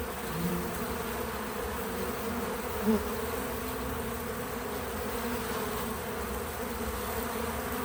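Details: Natural buzzing of bees at a feeder: a constant low drone of many wings, with a single bee swelling louder as it passes close near the three-second mark, then the hum settling back; no narration or music.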